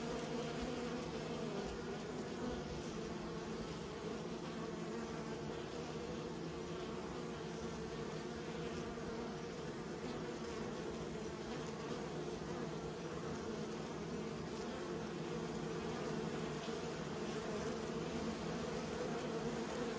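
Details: Many bees being raised give a constant droning buzz, thick and unbroken, with faint flickering rises over a stable low hum.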